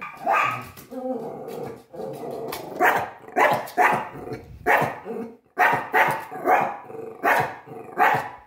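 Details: Pomeranian confronting a deer, barking steadily at roughly one bark per second, each bark sharp and harsh, with low growling between some barks.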